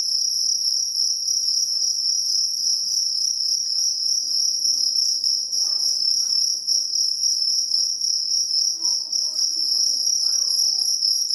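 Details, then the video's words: Jangkrik kalung cricket trilling without pause, a sharp high-pitched buzz of fast pulses holding steady for the whole stretch, with faint low voices or sounds in the background near the end. "KRIK KRIK Suara jangkrik kalung"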